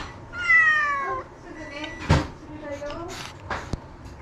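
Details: Ace and Lily, house cats formerly in rescue, meowing to demand a meal. A drawn-out descending meow comes first, then a shorter, softer one. Sharp clicks and knocks, like a cupboard or dishes, sound between them, and a person speaks nearby.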